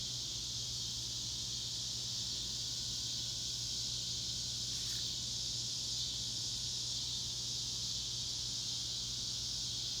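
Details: Cicadas in the Ozarks of Northwest Arkansas fill the air with a loud, steady, high-pitched droning chorus that never lets up.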